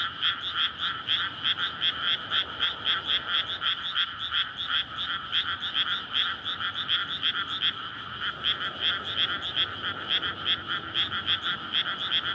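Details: Many frogs croaking in courtship at night in May, in a newly flooded rice paddy near homes and a road, captured with a PCM recorder; continuous loud chorus of quick, rhythmic, ringing pulses with brief dips in intensity.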